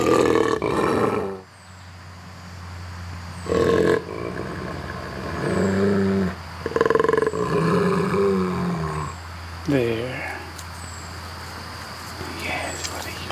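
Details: Two brother wolves angry with each other trade deep, rasping growls and sharp snarls in bursts, using vocalizations to resolve the dispute, with a person's voice in the background.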